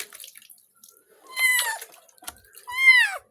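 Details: Pet cat being given a bath, letting out two loud, drawn-out meows about a second apart, each wavering upward then sliding down, over splashing and dripping water.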